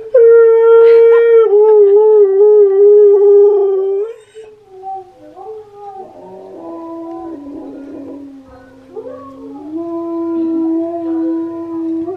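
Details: Huskies Key and Steel. Steady howl for about four seconds with a slight dip midway, followed by quieter, wandering tonal notes that shift step by step between pitches.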